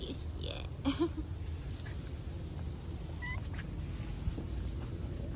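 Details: Stray street kitten that came and sat on a lap to be petted gives a short, faint meow with bright harmonics near the first second, over a constant low rumble of street noise; a brief thin tone sounds later.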